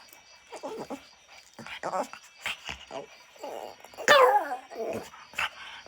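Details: Amid a woman's repeated Malayalam pleas to sing a big song, a Shih Tzu puppy gives one short, loud, falling howl-whine near the end, surrounded by soft speech and small rustles.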